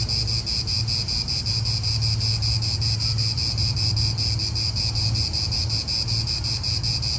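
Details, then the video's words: Cicadas in an Italian park produce a loud, even, rapidly throbbing buzz in several high layers, with softer wind murmuring underneath. "Cicadas wind real atmosphere in an Italian park"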